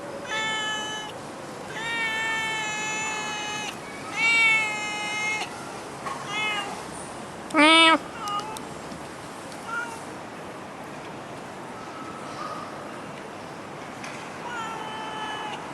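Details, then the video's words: Singapore stray cat producing a series of long, tonal meows, then shorter cries and one abrupt, loud harsh yowl midway, before quieter meows near the close. "Cute Stray Cat loves Auto in Singapore of Asia"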